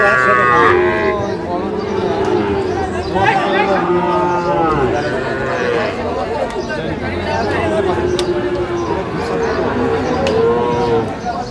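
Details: Sahiwal bulls at a cattle market in Tangail, Bangladesh, on 9/5/25: a string of low, drawn-out moos, several overlapping and rising then falling, repeated throughout amid busy crowd chatter and men talking.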